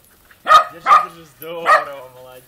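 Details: At a country dacha, a dog lets out three quick barks: two close, clipped yaps, then a longer bark that trails off into a ringing tone, with a man's voice close by.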